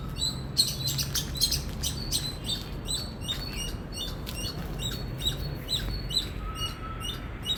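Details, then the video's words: Indian squirrel producing rapid, shrill chirps, some doubled, with a few soft clicks near the start and a faint steady tone appearing toward the end over low background noise. "Loud Squirrel Chirping Sound"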